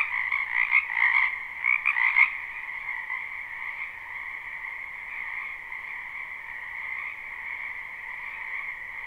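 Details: Frogs in a wetland during spring, recorded live: a few loud, close croaks burst out over the first two seconds, then the chorus settles into a softer, steady, even drone of many distant callers.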